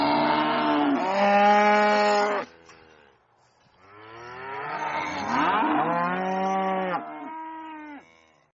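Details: Loud farm cow bellowing: two long, strained moos of about two seconds each, the second rough and wavering in pitch before ending in a falling tail, with a brief quiet pause between calls.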